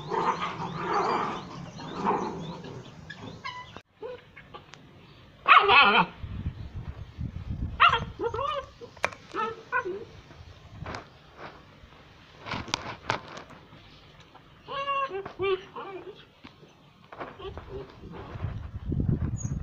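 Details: Young puppies playing and play-fighting with littermates and their mother: sharp high yips, short whiny whimpers and occasional barks separated by quieter gaps, with scuffling sounds between the calls.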